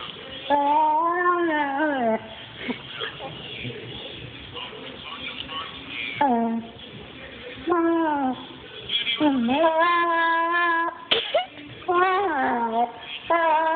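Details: German Shepherd making funny noises: drawn-out tonal whines and howl-like moans that waver and slide downward, delivered in bursts of one to two seconds with short quiet gaps between, several in a row.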